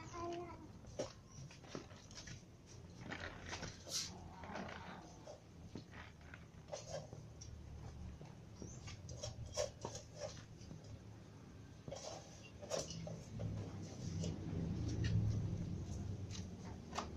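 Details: Hungry cats, a ginger cat among kittens and adult cats, meowing for food: short, strained cries come at irregular intervals over a low, steady indoor rumble, with clatter and scuffing sounds mixed in.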